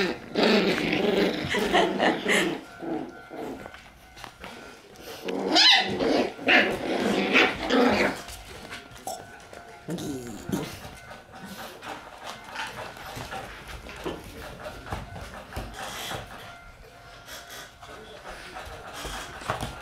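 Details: Several Shiba Inu dogs after dinner on April 27: dense, rough growling mixed with barks for the first eight seconds, then quieter scattered vocal bursts with some human speech in the background.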